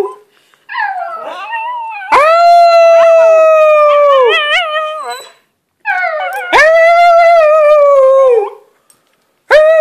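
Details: Squeaky howling from Lilly, a pet dog filmed up close, in long sustained howls of a few seconds each that start with a rising yip, hold level and droop at the end, separated by short pauses.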